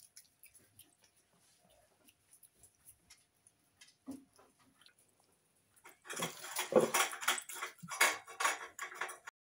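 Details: A female Snow Lynx Bengal cat, a very loud eater, eats her food with soft ticks and then a run of loud, wet crunching and chewing.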